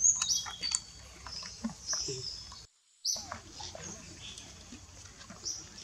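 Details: Shrill, thin squeals from monkeys as Libby reclaims her baby Brady from Rose, bunched in quick bursts at the start and again after a brief silent gap, with faint clicks and low rumble underneath.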